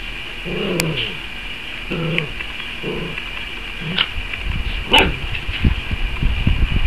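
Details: Five-week-old Dachshund puppies playing by a wood stove after napping; several short yipping barks and growly vocal bursts scattered through the clip over a steady hum, with a few sharp clicks.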